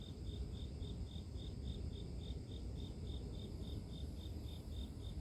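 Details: Grass insects in a sleep-inducing nature recording: a single high, thin chirp pulses steadily about three times a second throughout, over a heavy low rumble of background noise.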